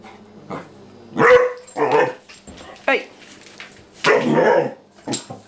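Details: A Vizsla puppy, April, at home with the family cat Maggie, barks in several short, harsh bursts spaced about a second apart, while a person says quiet and praises her as a good girl.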